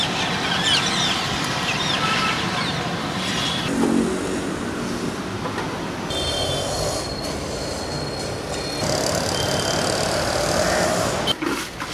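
A train rumbles and clatters past, with high, steady wheel squeals; no animal voices stand out.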